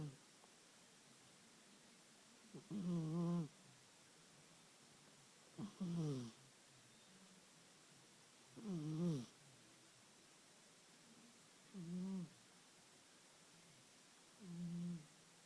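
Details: An aging pet cat snoring in regular cycles, five raspy, throaty breaths spaced roughly three seconds apart, each with a wavering nasal tone, in a quiet indoor room.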